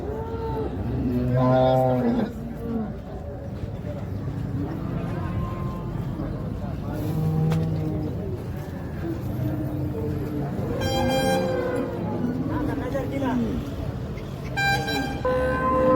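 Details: Several moos from Holstein Friesian cows in a dairy farm herd for sale near Ghodegaon, Shani Shingnapur, India; low and higher calls overlap through the stretch, with a vehicle engine and people talking nearby.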